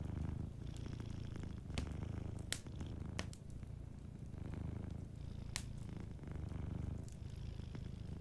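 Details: Rich low rumble of a sleeping cat purring, the sound alternating between stronger and softer phases in steady breaths, with occasional snapping pops from a nearby fireplace.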